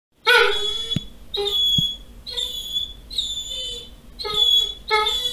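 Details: Doberman crying as its female owner returns home, a greeting. High, tonal whines with rich harmonics come in six sharp bursts, several dropping slightly in pitch, with short gaps, in a small indoor room.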